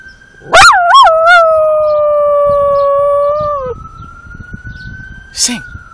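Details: Female Pembroke Welsh Corgi taught to howl on command, answering her owner's request to sing: two quick yodelling rises, then one long level tonal howl slowly falling, ending abruptly; faint background hum.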